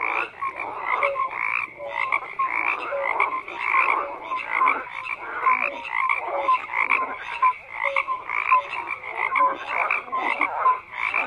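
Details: Frogs croaking en masse, pulsing rasps overlapping with brief whistle-like notes in quick succession, a constant wall of calls without other noises.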